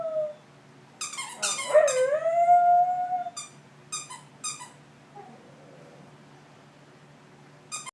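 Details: Indoor dog playing with a squeaky toy gives one wavering howl of about two seconds among bursts of toy squeaks, followed by scattered squeaks and quieter moments.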